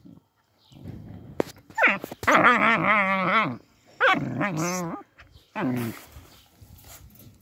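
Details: Puppies kept behind a fence after an attempted theft give drawn-out, wavering howl-like whines: a short cry, then a long quavering one lasting nearly two seconds, followed by two shorter rising and falling cries over faint background noise.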